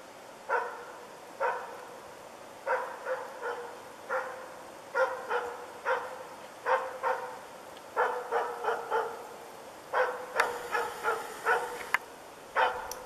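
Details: Diesel of Ukonvuori, a dog in moose dog training during one of its first encounters with a moose, barks in steady bursts of one to four sharp barks, roughly every second, across the whole recording.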